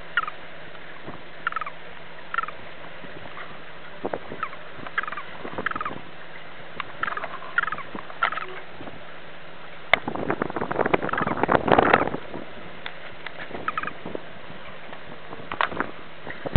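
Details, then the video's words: Green toad distress calls recorded in spring 2007 at Sulina, Romania: scattered short squeaky chirps at irregular intervals, interrupted midway by a loud click and a burst of rustling noise, then more chirps. "Bufo viridis distress call"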